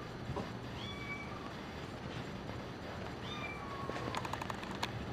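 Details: Female silver tabby cat named Ruby, number 04, playing with a cat teaser; two clear tonal meows, each a drawn-out falling cry with bright harmonics, spaced about two seconds apart, followed by a quick series of rattling clicks from the toy.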